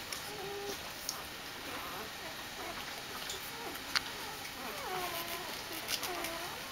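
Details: Greeting their mother Jessica after her walk, Doberman puppies keep up faint, sliding whimpers that bend up and down in pitch, with a few sharp clicks and a constant soft hiss behind them.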